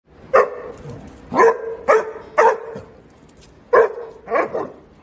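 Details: Basset Hound puppy, kept with a sister Basset and a horse friend, recorded on smart glasses: six short, sharp yapping barks spread irregularly over five seconds, some in quick pairs, over a faint steady hum.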